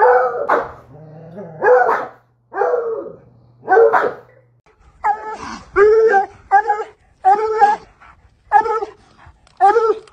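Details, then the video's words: A pet Treeing Walker Coonhound, about four months with its owner, gives loud, harmonic baying barks in uneven bursts, some single and some doubled, with short quiet gaps between them. "Treeing Walker Coonhound Barking"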